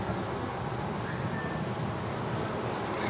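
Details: Drone honey bees, the stingerless males, in a hollow oak tree in Tampa, Florida, as the growing colony prepares to swarm with a new queen, recorded on a Panasonic PV-GS83 camcorder; a steady low droning hum fills the air throughout.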